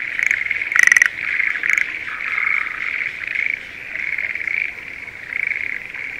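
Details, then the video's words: Schlegel's green tree frogs calling in the breeding season from a spring rice paddy near Sendai, Japan: a dense, steady chorus of high trilled notes, broken near the one-second mark by a louder, rattling pulsed burst. "シュレーゲルアオガエルの鳴き声Voice of schlegel's green tree frog"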